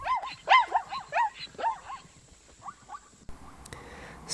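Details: African zebra neighing: a run of short yelping barks in quick bursts of two to four, each note arching up then down, loud at first and fading toward the end, followed by faint rustling and a brief noise.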